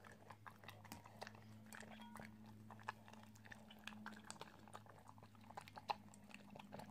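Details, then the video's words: An Italian Greyhound eating, with irregular crunching and biting clicks over a steady low electrical hum that runs through most of the recording. "Italian greyhound eating ASMR"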